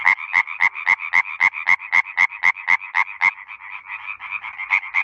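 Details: A tree frog in Bulgaria gives a fast, even run of loud, nasal croaks, about four each second, at night; males call to attract females. The later calls blur together as other frogs join in.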